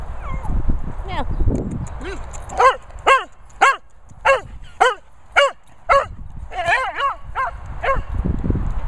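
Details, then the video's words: Retrieving Cocker Spaniel Benji in Worcestershire countryside gives a steady series of about fourteen sharp, clear barks, nearly two per second, preceded by brief whines and low rumbling noise. "Cocker Spaniel Barking Benji retrieving."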